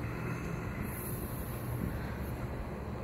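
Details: Low rumbling wind or engine noise fills the short recording with no animal calls.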